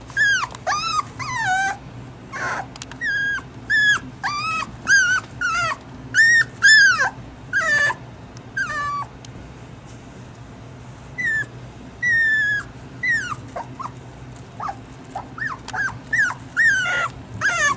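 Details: Female toy poodle puppy about one and a half months old whining persistently indoors: high, bent whimpers rising and falling, in bursts of several cries with short pauses, some fainter and drawn out.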